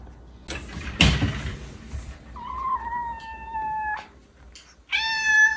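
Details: Norwegian Forest Cat meowing indoors: after a sharp thump, one long drawn-out level meow of about a second and a half, then after a pause a shorter, richly harmonic meow, with quiet room noise between.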